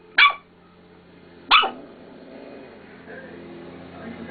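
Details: A dog confused by her own mirror reflection gives two loud, abrupt barks about 1.3 seconds apart, then quieter indoor rustling and background noise follow.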